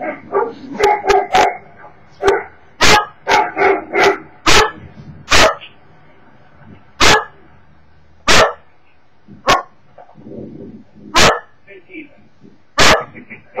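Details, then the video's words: Cocker Spaniel barking indoors at videos on a screen: loud, sharp broadband barks in irregular bursts, some quick doubles and triples, then single barks every one to two seconds with quiet gaps. "Cocker Spaniel Emmy bellt nach you tube videos"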